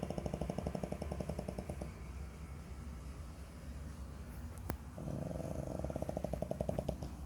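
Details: A 5-month-old French Bulldog puppy snores while asleep indoors: rapid rattling pulses in bursts, one at the start lasting about two seconds and another resuming near five seconds, with a quieter breathy stretch and a sharp click between.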